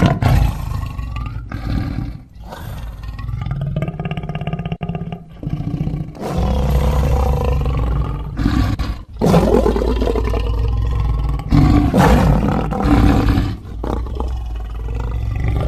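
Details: Lion producing long, heavy, low roaring and growling, rising into loud, harsh bursts around the middle and later part, with brief quieter breaks between the drawn-out calls.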